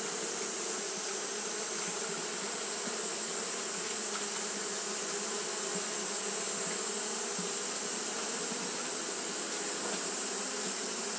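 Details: Japanese honey bees fanning continuously on a hot day; a steady, unbroken low hum with stacked buzzing tones, over a constant high hiss throughout.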